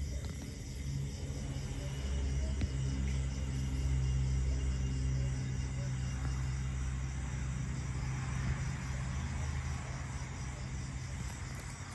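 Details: A continuous low humming rumble with faint background music plays, with no animal calls heard.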